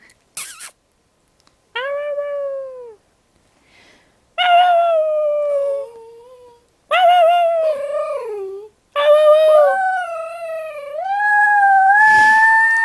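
A dog gives long, wavering howls in drawn-out bursts, each sliding and bending in pitch.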